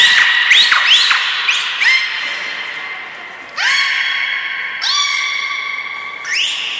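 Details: Belugas training at Port of Nagoya Public Aquarium, 1 December 2019 (Hodoi, Gray, Mirai): a quick run of rising chirps, then three longer sustained harmonic tones, each with an upswept onset, loud and close.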